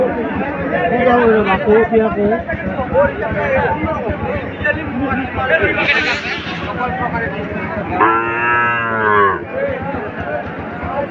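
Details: Deshi and Sahiwal calves at Setabganj cattle market, Dinajpur, 24 June 2024: a loud harmonic moo of about a second and a half rises late, after steady crowd chatter and men's bargaining voices.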